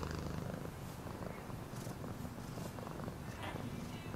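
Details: Low, even purring of a domestic cat, a dense vibrating drone with rapid fluttering pulses, lightly overlaid by soft breathy swishes.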